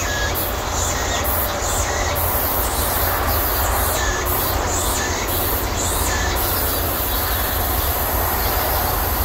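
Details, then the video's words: Midsummer cicada chorus in a persimmon orchard, heard at the season's peak as summer wanes: shrill high buzzing rises and falls in regular pulsed bursts throughout, over a continuous low rumbling background. "감나무 밭의 매미소리 - 여름이 지나가고 있다는 한여름의 매미소리"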